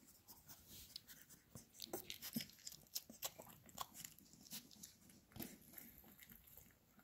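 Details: Labrador Retriever puppies eating minced beef indoors: irregular wet smacking and crunchy clicking bursts throughout, close and fairly quiet, with soft room noise.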